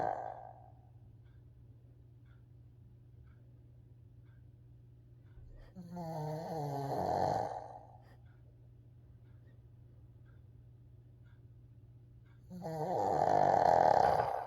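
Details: Coco, a 14-year-old Shih Tzu, deep asleep indoors, snores in slow cycles: a short rasp at the start, a rougher snore around six seconds, then a loud, grating snore after twelve seconds, with steady low hum between.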